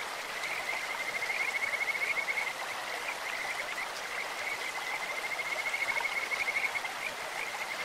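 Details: Two bouts of high, whistled trilling from Kajika frogs in a clear stream, each about one and a half seconds of fast pulses. Rushing water fills the background.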